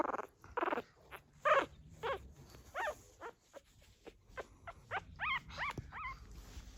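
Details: Fourteen-day-old pug puppies, newly walking, make small noises indoors with their mother guarding them. Short, bent squeaks follow one another rapidly, some rising then falling. They grow more tonal and closer together toward the end.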